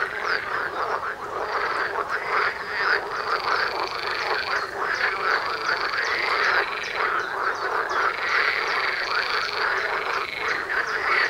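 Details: Frogs calling in a loud massed chorus outside a front door, many rapid croaking pulses blending into steady rhythmic waves of sound for the whole stretch.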